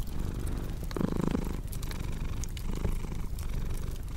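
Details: Low rumbling purr of a cat with a short brighter tonal burst after one second, set against snapping, crackling fireplace sounds.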